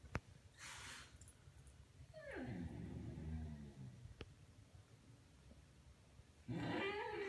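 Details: Male Xoloitzcuintli (Mexican Hairless) puppy, seven months old, indoors reacting to his reflection in a mirror: a long moaning cry sliding downward from high to low, a pause, then a second harmonic wail near the end.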